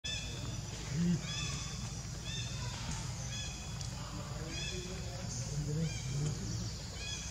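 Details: Baby monkey Leo, hungry and begging its mother for milk, gives short, tonal, whining cries that repeat in quick runs with brief gaps, over a steady low rumble of background noise.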